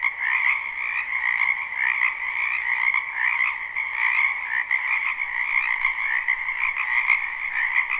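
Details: Live spring recording of frogs in a wetland behind a home: a dense chorus of overlapping trilled croaks holds at an even level, pulsing gently, with one brief sharp click near the end.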